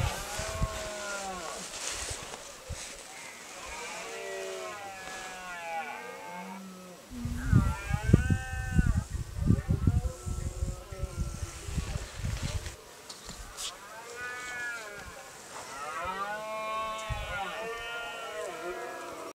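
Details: Rutting red deer on a private estate, their roars mixing with groaning fallow deer; phone recording. Several arched, moaning harmonic roars are separated by a burst of rapid, low, pulsing grunts in the middle.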